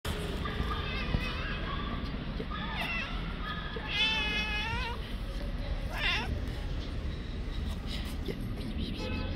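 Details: Orange male stray cat in heat on the street, calling to another male he takes for a female: long wavering harmonic yowls near three, four to five, and six seconds over a steady low rumble of background noise.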